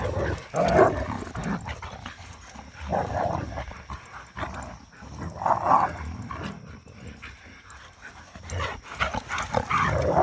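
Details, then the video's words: Three young dogs wrestle playfully after three rainy days; growly bursts come roughly every two to three seconds with quieter scuffling between, and a thin constant high tone runs underneath. "Three dog tussle"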